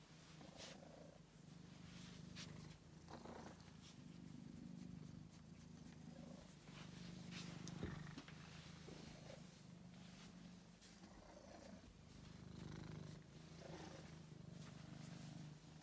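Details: Angelus, a male pet cat rescued sick and very thin from a basement, purrs steadily: a low, rumbling, pulsed drone with brief gaps as breaths change, plus faint soft clicks and rustles nearby.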